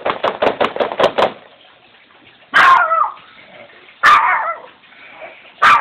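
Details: Shih Tzu on guard duty, waking from deep sleep and raising the alarm, with other dogs joining in. A quick burst of six soft rhythmic pulses is followed by three sharp, loud barks spaced about a second and a half apart.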